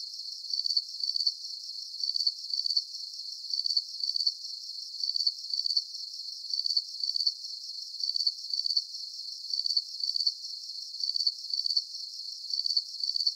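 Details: A calm night chorus of crickets: sharp high chirps built of quick pulses, recurring at an even rhythm through the whole stretch, with nothing else audible behind them.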